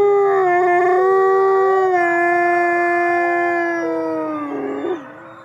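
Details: Captive gray wolves howling at twilight at the Wolf Conservation Center in South Salem, New York: one long, steady mid-pitched howl holds level for about four seconds while a second voice bends and wavers above it, then the sound fades.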